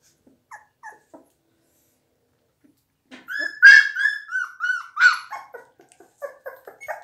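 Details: Blue Pit Bull puppies, 17 days old: a few faint soft squeaks, then after a pause a burst of high whining cries with falling pitch, several short yelps overlapping toward the end.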